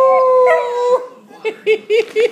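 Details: Louie the pet dog, inspired by a beagle baying on TV, finishes a held howl that breaks off, then a person speaks in short rising bursts praising him as a good dog.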